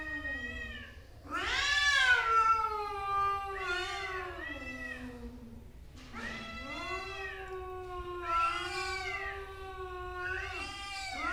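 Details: Two angry male cats in a fight trade a rising and falling series of yowls: low moaning wails swell into louder, higher screeching cries, repeating in waves roughly every two to three seconds.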